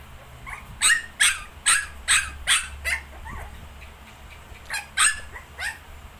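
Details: ['Shih Tzu together with 19-day-old puppies, giving a burst of six loud, bright yaps, a short pause, then a few more quick barks over a faint constant hum.']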